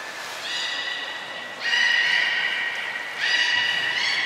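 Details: Captive belugas at Port of Nagoya Public Aquarium in Japan, filmed 23 February 2021 while moving between pools and training: three bright, steady harmonic whistles, each rising slightly at its end and following one another closely.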